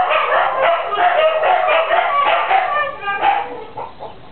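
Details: Female Siberian huskies howl together while the neighbour's chickens cluck alongside; rapid choppy wavering notes blend with the hens, and the chorus fades toward the end.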